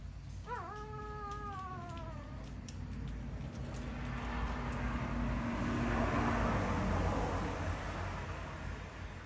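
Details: Crying puppies: a single whine that jumps sharply upward, holds, and fades over about two seconds, followed by several seconds of broad rushing noise and low hum without further calls.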